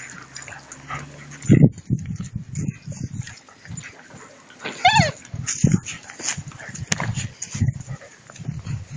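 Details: Two-month-old puppies at play with a rag for prey drive training: short low growls repeated irregularly, a brief high rising whine near the middle, and faint human speech.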